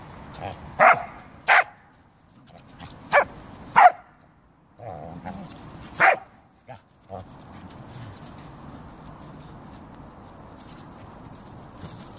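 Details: Siberian Huskies and a Samoyed kept as pets, outdoors in beautiful weather; sharp, loud barks burst out in a loose series, about five within the first six seconds, then give way to a steady low background rumble.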